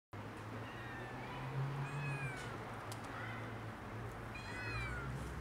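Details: Mother cat guarding her two tiny kittens from a dog; several short, rising-falling meows sound at intervals over a steady low hum and background noise.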